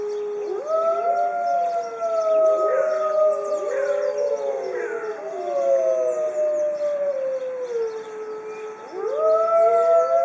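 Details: Zoo pack of white Arctic wolves in a group chorus, many drawn-out wavering howls stacked over one another, some gliding upward, others falling, sustained throughout with a fresh rising howl near the end.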